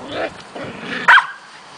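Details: Spring play between two 7.5-week-old Shetland Sheepdog puppies, Croft's I Want It All and Indiana: soft grumbling gives way to one sharp, high yap near the end.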